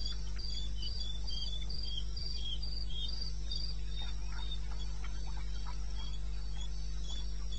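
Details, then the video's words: Cricket heard at 02:30 on 21 May 16 in eastern Botswana's wilderness, rapid high chirps that fade in the second half, with scattered faint clicks and a steady low hum behind. "1 Hour cricket sound"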